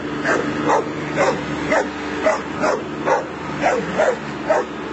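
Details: A Bull Terrier barks in quick, regular bursts, trying to intimidate a lawnmower whose engine drones steadily underneath.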